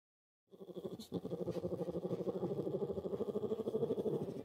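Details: Orphaned brown bear cub in care at the Orphan Bear Rescue Centre starts a continuous, fast, motor-like purring hum that pulses about three times a second and holds steady for four seconds.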